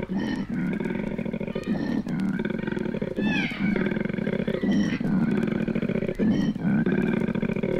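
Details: Australian koalas courting, on an old 1968 vinyl recording: a long, continuous run of deep, pulsing, grunting bellows, harsh and snoring, broken by short inhaled gasps every second or so.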